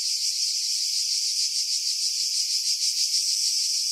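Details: Pine-dwelling cicadas above Pefkos Bay, Skiros, Greece, in July 2018: steady piercing electric buzz with faint, less regular pulsing, filtered to remove wind noise.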